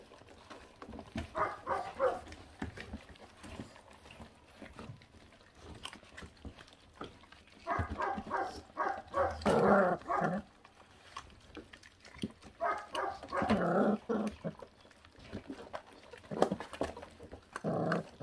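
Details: Feral dog puppy, born to a mother that does not care for her young, growling while eating: rough pulsed bursts come in clusters around two, nine and fourteen seconds, with quieter rustling and chewing noises between them.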